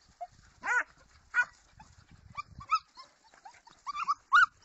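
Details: Segugio Italiano giving scattered high yelps and short whines, a loud clear bark near the start and a sharp rising yelp at the end, with quiet shuffling between.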